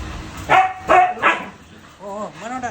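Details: Siberian Husky puppies: three short, sharp barks in quick succession within about a second, then drawn-out voiced tones mixed with a person talking nearby.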